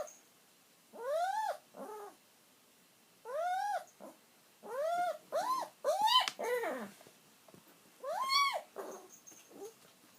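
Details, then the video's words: An aged household dog waits for its owner's return, letting out loud arched whimpers that swoop up and back down, often in pairs, repeated every second or two with short silences between. "鳴き声必聴 愛犬キリちゃん、御主人の帰りを待つ"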